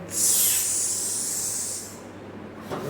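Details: Hissing Indian cobra inside a house: one strong, airy hiss swells quickly, fades out over about two seconds, then a brief human sound follows.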